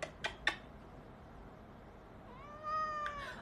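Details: Domestic cat meowing once, long and harmonic with a gentle rise and fall. Several quick clicks come first, in a quiet room.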